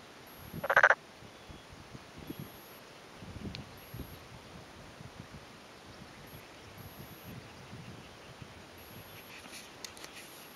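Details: Single brief pulsed croak from a male black-spotted pond frog in a flooded rice paddy in rural Yamaguchi, Japan, on a May afternoon, answering another calling male; followed by quiet outdoor background with faint rustles.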